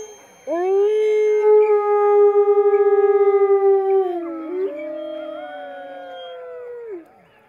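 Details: Howling of a captive wolf at Wolf Park, May 2010: a swift rise into a long, level, clear tone, a dip near four seconds, then a slightly higher held note that drops away, with a fainter second howler underneath.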